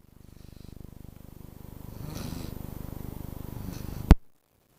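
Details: A dog snoring indoors: a steady run of low, rapid rumbling pulses that swell in the middle, then stop abruptly with a sharp click near the end, followed by silence.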